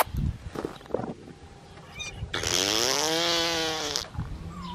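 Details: Black tri male Australian Shepherd puppy, number 3, six and a half weeks old, out of Bianca and Myles at Fifteen Acre Farms: a sustained, rising-then-falling whine of about a second and a half, preceded by soft rustling and thumps.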